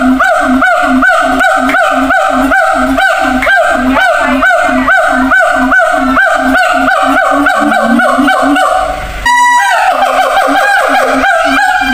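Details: Siamang calling at a zoo to communicate over distance with others in different cages. Steady pulsed honking barks are interrupted by a brief break, then resume with rising whooping notes.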